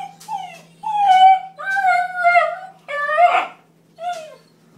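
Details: Bluetick Coonhound puppy named Trapper, new to the home, yelling indoors in anger at a baby gate put up so the cat could eat in peace: five drawn-out, wavering, harmonic howls with yelping breaks, each lasting around a second.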